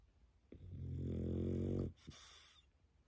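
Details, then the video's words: Pet dog dozing after coming home from a walk, giving one long low rumbling snore lasting over a second on the inhale, then a soft breathy hiss as it breathes out. "산책 다녀왔더니 잠 잘오네"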